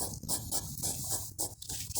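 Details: Two large prickly hedgehogs found in a forest near a park in the evening, about to fight; rapid, hissy, pig-like huffing snorts in quick bursts, roughly four or five a second, with brief pauses between runs.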